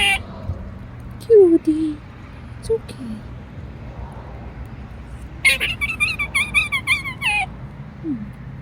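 A squirrel gives a rapid run of high, whiny, falling squeaks that sound plaintive.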